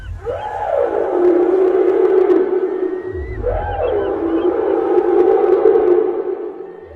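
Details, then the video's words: Migrating whales blamed for frightening sounds on the Libyan coast: loud sustained harmonic moans, each opening with a quick upward-then-down sweep, repeated twice, with low rumbling underneath. "صوت الحوت المرعب الدي ارعب اهل ليبيا terrifying sounds of the whales in Libya"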